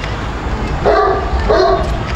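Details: Bully Kutta (Washi Bully) dog giving two short tonal barks or whines about half a second apart over steady low background rumble.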